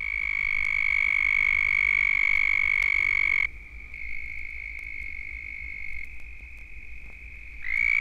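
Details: In Florida, a large breeding chorus of southern toads gives many long, high, buzzy trills that overlap into a steady ringing drone.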